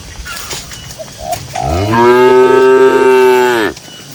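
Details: A single cow in a grassy pasture, among dozens of cattle, gives one long, loud moo lasting almost two seconds. It starts as a low rising groan and holds a steady, strongly buzzing tone before cutting off, with faint dove coos just before.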